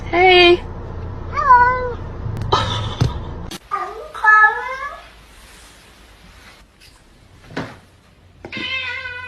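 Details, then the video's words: Domestic cat meowing indoors in a back-and-forth with a person, giving several drawn-out, wavering meows, some rising then falling, between spoken greetings and questions, with gaps of quiet and a low hum. "Funny Cats talking"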